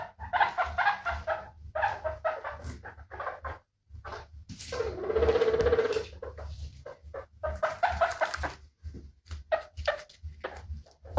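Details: A guinea pig makes clusters of quick squeaky chirps, broken by one longer drawn-out squealing note in the middle, then more irregular short squeaks.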